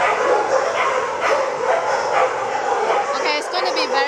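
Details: Many dogs barking and yipping together at an animal shelter where volunteers feed the animals; dense overlapping barks throughout, with people talking nearby and a high whimper-like whine near the end.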